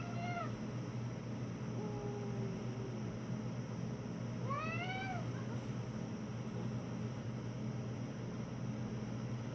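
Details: House cat producing strange vocalisations to avoid fighting another cat: a short rising-falling meow, a long low drawn-out moan, then a louder arched wail, all over a constant low background hum.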